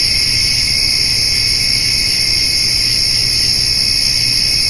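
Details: Crickets with grasshoppers calling through a summer evening as a doe and spotted fawn feed on hay; a constant high-pitched, buzzing drone in layered bands, uninterrupted, over a dull low background rumble.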